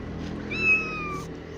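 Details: Mother cat with seven kittens, kept under protection at a cat shelter, gives one clear drawn-out meow that slides slowly downward in pitch, lasting under a second, over a low steady room hum.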